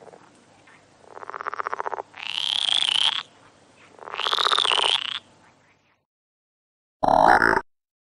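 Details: Frog calling at night while climbing a marang tree: long buzzy, raspy croaks of about a second each, several in series with pauses, then a short loud burst near the end.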